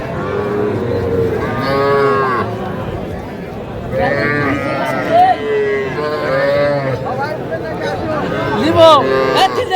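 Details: Young calves, small bulls and heifers, at a cattle market in Faridpur on 8 February 2025. Repeated harsh moos sound one after another, each lasting one to two seconds, with faint crowd voices and music behind.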